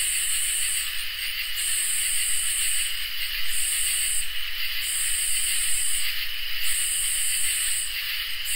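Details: On a peaceful summer night, crickets and katydids keep up a dense shrill chorus: constant high ringing tones under repeated raspy pulses lasting one to two seconds, with a low rumble beneath.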